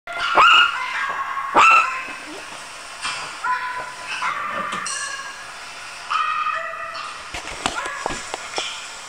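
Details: Scared Chihuahua puppy giving sharp high yelps with upward-bending pitch, two loud ones early, then softer whimpering sounds and a few clicks and knocks.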